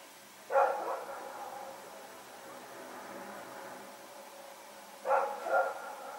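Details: Dogs Rex and companion roaming at night in Pyrga, Sep 21, 2018; one bark with a brief echoing tail, four seconds of low hum, then two quick barks in succession.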